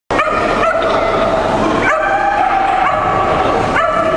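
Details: Shetland Sheepdogs, sable merle and blue merle, at the 2012 Americas and Caribbean Agility Championship; shrill, continuous, tonal barking with sharp onsets near 0.7, 1.9 and 3.8 seconds over steady hall noise.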